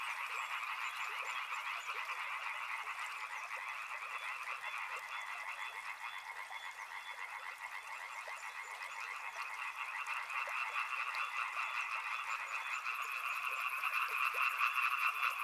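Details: Steady chorus of many frogs by a river, overlapping croaks pulsing quickly and fairly regularly, growing louder toward the end, where a thin high trill enters.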